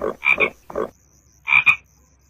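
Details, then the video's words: Frogs calling near frog eggs: short, raspy croaks in quick pairs and triples, a bright, harsh tone, with a brief gap before another double croak. "Frog Sounds"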